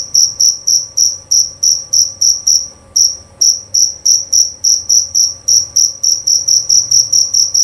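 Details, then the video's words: High, ringing chirps from a male jerabang cricket, an Indonesian countryside cricket prized for its clear call, delivered steadily at nearly four per second with one short break around the three-second mark and quickening toward the end. "Bunyi Suara Jangkrik Jerabang Nyaring dan Jernih"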